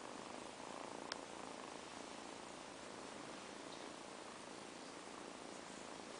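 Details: Purring from two napping kittens resting after a long play session; a low, continuous rumbling purr, very quiet beneath broadband hiss, with one sharp click near the start.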